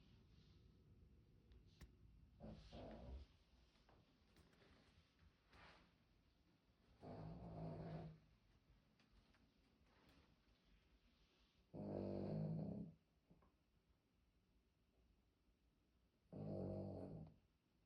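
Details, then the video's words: Old Poodle snoring heavily while asleep indoors; four loud rasping snore bursts, each about one to one and a half seconds long, spaced roughly every four to five seconds, with quiet breathing between. "코골이 심한 반려견."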